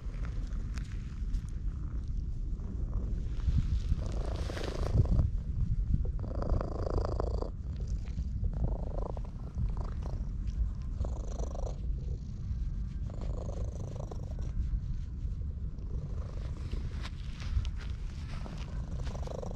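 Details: Stray orange tabby cat in a park, petted by hand and purring at high volume, filmed with a GoPro HERO8; continuous low throbbing purr with bursts of scratchy rubbing and fur-brushing sounds layered over it.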